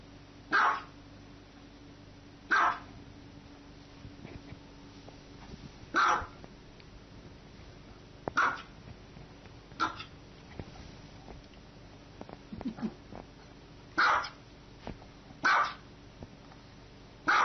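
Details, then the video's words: Repeated dog barks, nine short sharp bursts spaced irregularly one to three seconds apart, with light rustling and soft thumps between. "Dogs Barking"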